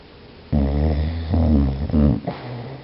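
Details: Biscuit, a dog, snoring while asleep: low rumbling snores with a buzzy harmonic tone, one long breath then two shorter ones, each ending abruptly, in a quiet room.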